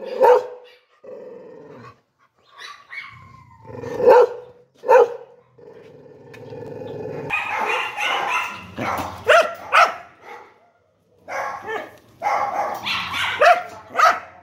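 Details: Dog sounds that begin with scattered sharp yips and drawn-out whining tones separated by silences, then give way to a denser stretch of rough, noisy barking with a growling edge.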